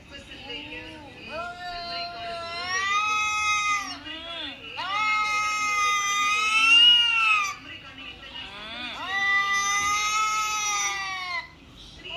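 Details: Recorded cat calls, such as kittens meowing and cats fighting, played from a mobile phone for a mature cat: three long, wavering, strained wails, each lasting two to three seconds, separated by brief gaps.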